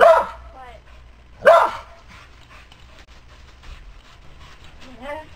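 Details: Old Border Collie cross barking while teased by a squirrel: two loud, harsh barks about 1.4 seconds apart, followed by quieter whining calls and faint background sounds.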